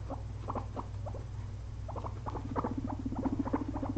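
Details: Two pet guinea pigs napping after a long day of munching frozen blueberries; short clicky squeaks in uneven bursts, then a low, steady pulsing rumble over the last second and a half, with a constant low hum behind.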